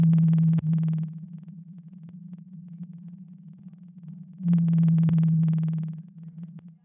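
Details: A blue whale call, sped up 16 times, sounds as a steady low hum with two bursts of rasping pulses; it is compared with the mysterious Bloop and judged a poor match.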